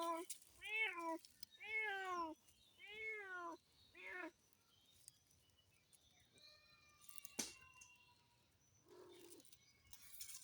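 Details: Cats running about on a village dirt path in rural Bengal at midday; four loud, drawn-out meows in a row, each rising then falling, followed by quieter chirps, a sharp knock and a person calling the cats.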